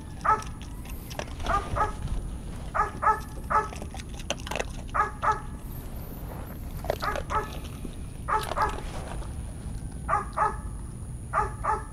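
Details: During a training session, a Belgian Malinois lets out bursts of clipped, tonal barks, usually two or three in a row, separated by short pauses, with a constant low hum underneath.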